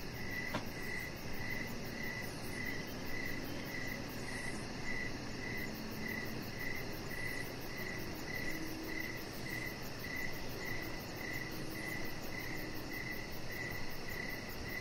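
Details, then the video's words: Evening crickets near a lit deck: a long, unbroken series of regular chirps roughly every half second, accompanied by high, quick insect pulsing and a steady low background drone. "Cricket Sounds"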